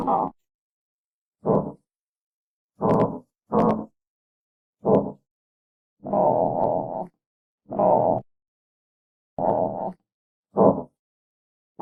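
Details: Armadillo giving short, rough grunts in separate bursts, about ten over twelve seconds, some longer and more drawn out, with complete silence between them.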